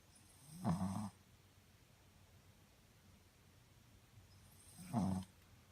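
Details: Shih Tzu named Muku sleeping comfortably indoors, snoring: two low, rough snores about four seconds apart, each a short rumbling breath under a second long, with quiet background between them.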